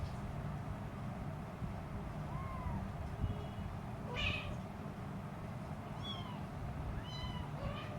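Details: Hungry three-week-old blue-eyed Siamese kitten crawling around near its mother cat, giving four thin, rising-then-falling meows spaced a second or two apart over a steady low background hum.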